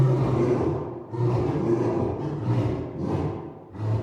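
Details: African lion producing a series of deep, rough grunting bursts, about five in four seconds, each rising and falling in loudness, low and rumbling throughout.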